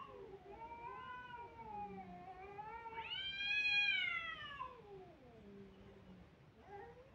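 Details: Kittens crying: a wavering, mid-pitched meow swells into a loud, rising wail around the middle. It then falls away into lower, fading mews, with a short cry starting at the end.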